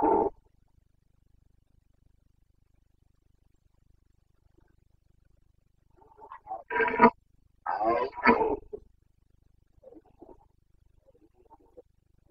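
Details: Rutting red deer stag of the Carpathians, Bucovina, breeding season, 29 September 2022. After a brief opening grunt and a long quiet stretch, two or three coarse, guttural roars follow in quick sequence, then faint murmuring sounds.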